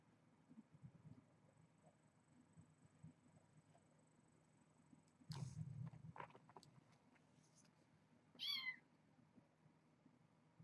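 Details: Kitten indoors during evening play time with its littermates on the evening of 4-25. One short, high meow rises then falls, with stacked harmonics, about eight seconds in, after a brief rustling thump. Otherwise the room is quiet apart from a faint steady hum.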